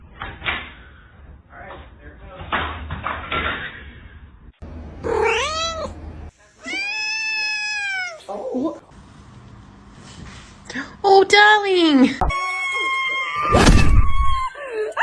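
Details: Kittens meowing indoors: several drawn-out, arched harmonic meows rising then falling, mixed with short higher mews, a human voice speaking between them and brief bursts of noise near the end.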